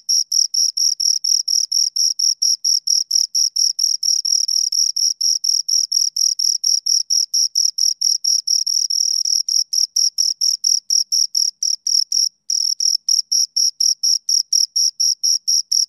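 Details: Two crickets keep up a long run of shrill pulsed chirps, about two per second, steady and rhythmic, with one brief pause near the end before chirping resumes.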